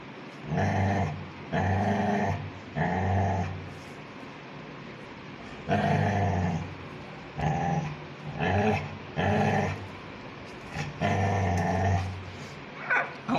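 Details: Angry Labrador Retriever puppy in snow, wanting food, growling in low rumbling bursts of about a second each, roughly eight bouts with short pauses, some yips near the end, people talking faintly between.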